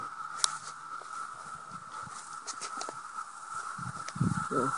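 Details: Many 17-year cicadas swarming around a house eight miles from Madison, in grass, bushes and trees, some mating; a steady, unbroken droning hum holds one pitch throughout, with a man's voice and footsteps near the end.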